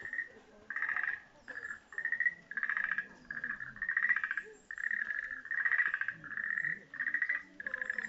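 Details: Frog chorus at a pond of Tenporinji temple in Japan: dense, pulsed trilling croaks around mid pitch, in bursts of roughly half a second repeated almost continuously with brief gaps, many frogs overlapping.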